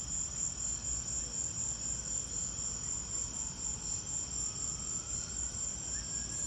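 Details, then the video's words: Crickets chirping during a lightning storm: a steady high-pitched trill with rapid pulsing chirps repeating about four times per second, continuous throughout, over a low background rumble. "Lightning and crickets!"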